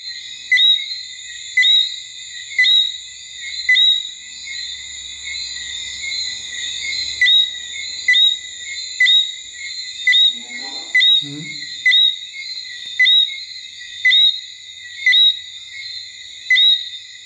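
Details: A male-type chorus call: a Martinique robber frog (Eleutherodactylus martinicensis) singing at night at Basse-Terre, Guadeloupe, in October 2014, gives brief, bright whistled notes about once a second, each ending in an upward flick, over a shrill insect-and-frog chorus.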